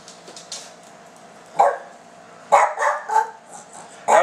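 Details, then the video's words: Silky Terrier dog asking for food and showing where it is stored, making almost talking vocal sounds: short harmonic yelps and whine-like bursts in quick uneven groups, between a person speaking Portuguese indoors. "Silky Terrier dog Almost Talking"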